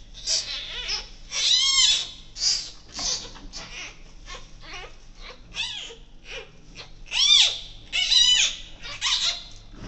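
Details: Giant panda cub a few days old, in the birthing den with its mother at Ouwehands Dierenpark after its 12 July 2024 birth, gives repeated shrill arched squeals and softer whimpers at an uneven pace, roughly one a second.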